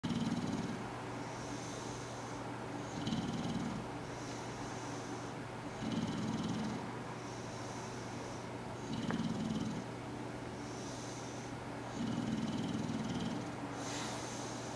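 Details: Porkchop the Bulldog asleep with one eye open, filmed October 1, 2013, snoring in low rasping breaths that swell and fade roughly every three seconds over a steady low electrical hum.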